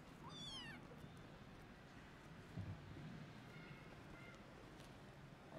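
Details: Hungry orphan kitten, one of a sickly litter found meowing loudly inside a cat house after their mother was gone, calling for food; a single high, wavering meow rises then falls in the first second, followed by steady low background rumble.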